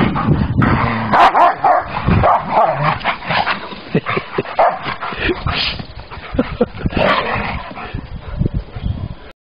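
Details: At a park, a big Rottweiler plays with a wolf: deep barks, high yips and whimpers come in uneven bursts, mixed with growls and a scuffle, as a woman speaks French.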